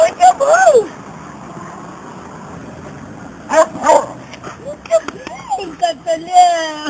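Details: Batman, an elderly blind and partially deaf rescue dog awaiting adoption, gives his first bark: short, bright, yelping barks with rising and falling pitch near the start and again around the middle, mixed with excited human voices.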